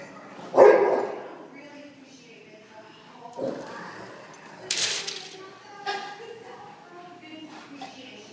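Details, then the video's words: Pet dogs playing tug of war at home: one loud, short bark near the start, then softer yips and growly bursts, with human voices talking between them. "Tug of war"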